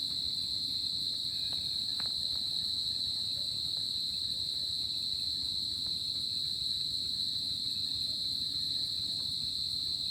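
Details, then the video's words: Summer night crickets in a tropical setting produce a dense, continuous high-pitched ringing trill with a quieter shimmering overtone above, steady throughout with only a few faint ticks. "Cricket Sound At Summer Night"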